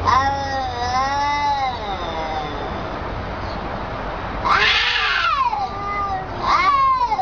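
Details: Angry cat giving drawn-out, wavering meows with rising and falling pitch. A long, continuous yowl is followed by two louder, harsher meows near the end. The calls sound talkative and complaining.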